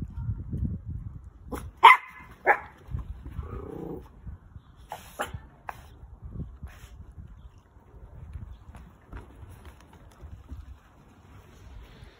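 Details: Orphan toy poodle puppy, a pet dog, around lunchtime: a few short sharp barks and yips early on, loudest near the two-second mark, then quieter low rustling and faint thumps for the rest.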